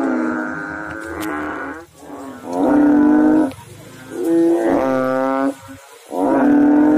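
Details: Overlapping deep drones from several frogs in water, each note lasting about a second, pitches shifting slightly between callers, forming a nearly continuous humming chorus.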